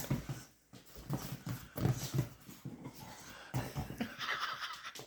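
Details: Eddie the Chihuahua puppy romping on a sofa with a big dog named Bullet inside a small room; deep rumbling growl pulses and wheezy snorts repeat unevenly, with a soft hissing rustle near the end.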